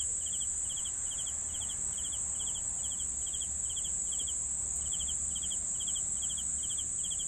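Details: Night crickets give a regular train of short pulsed chirps, roughly three per second, over a constant high-pitched insect drone and faint low background hum.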